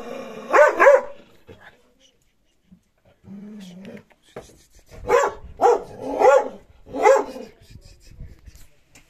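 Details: Dog barking at its own reflection in a mirror; several short harmonic barks in two bursts, a pair near the start and three more later, with a brief low voiced sound between them in a quiet room.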